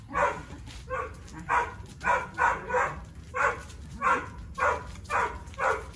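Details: Tyrion, a three-year-old Boxer with low food drive and high prey and play drive, during engagement and recall training; about ten short, harsh barks follow one another roughly every half second, fairly steady throughout, with faint background noise.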